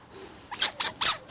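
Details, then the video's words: Young chinchillas about two weeks old calling to their mother: three sharp, very high squeaks in quick succession, each a short bright burst about a fifth of a second apart, with a faint start of a fourth at the end. "Звуки шиншиллы: маленькие шиншиллята говорят с мамой"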